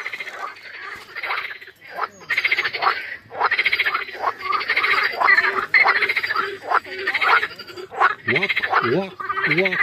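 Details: Pond frogs in breeding season among water lilies, heard from a shady path on a hot day: loud, pulsed, rattling croaks repeated in quick bursts, several callers overlapping, with a short rising-falling human sound near the end.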